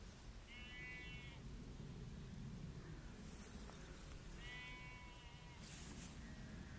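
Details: Flock of sheep being chased by a golden retriever; two wavering, nasal bleats about four seconds apart over steady low rumbling background noise.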